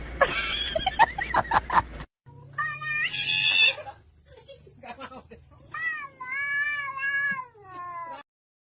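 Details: Domestic cat meowing repeatedly: rough, broken cries at first, then two long, wavering meows that rise and fall, with a person's voice and brief music in the background.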